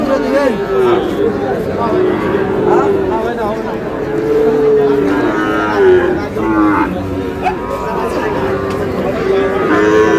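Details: Sahiwal cattle, including bull calves, at a busy cattle market in Chattogram, Bangladesh, on 1 May: long, low, droning moos rise and fall across the clip, several overlapping, over constant crowd chatter and bargaining voices.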